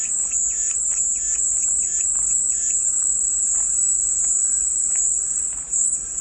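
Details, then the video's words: Cicada song for calming white noise: a constant piercing high-pitched whine with slight waviness, over a background of faint, soft, lower chirps repeated irregularly. "백색소음 마음이 평온해지는 매미소리"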